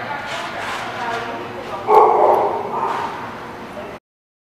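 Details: Dog barking at The Barking Lot on 28 August 2017; rough, noisy barks over a busy, continuous background, with a louder burst near the middle, then an abrupt cut to silence.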